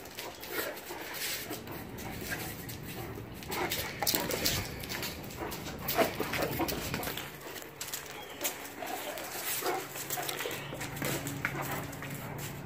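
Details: A year-old Great Dane makes short, breathy grumbles and soft whimpers in irregular bursts.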